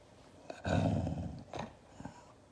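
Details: Siberian Husky growling angrily in reaction to being hugged: one low, rough rumble lasting close to a second, then a fainter, shorter grumble and a few soft knocks.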